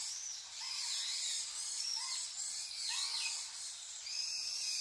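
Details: Arching tonal coos from wild Japanese macaques, a troop with infants at Awajishima Monkey Center, Sumoto, Hyogo Prefecture, Japan, appearing just before 3 pm. Lower, softer rising-falling notes sit beneath higher overlapping calls in a continuous chorus.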